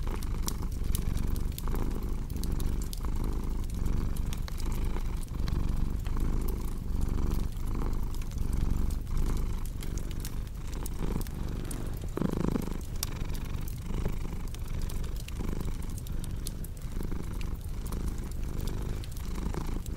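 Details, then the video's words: Long stretch of a cat's rumbling purr, pulsing evenly with each inhale and exhale, set against a crackling fireplace with scattered sharp pops and a brief louder rustle near the middle. "Purring Cat"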